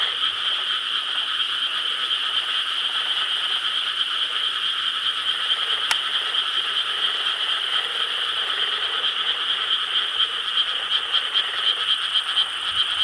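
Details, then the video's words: Many frogs calling at night in Korean rice paddies, recorded 4 July 2013; a continuous, thick wall of high-pitched croaking holds steady for the whole stretch, broken once by a brief sharp click. "여름 밤 개구리 합창 Chorus of frogs croaking in rice paddies of Korea"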